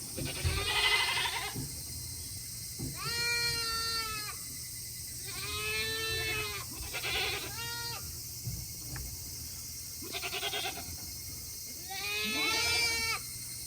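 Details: Goats on a hobby farm in Himi, Japan, on a hot day in August 2021, restless to return to their shed after eating; repeated long, shaky, harmonic bleats, some short and clipped, against faint background hum.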